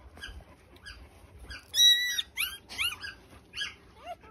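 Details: Three-day-old Australian Shepherd puppies giving high, thin squeaks and whines, a few short cries, then a louder drawn-out squeal, followed by bending, wavering cries; faint low rumble beneath.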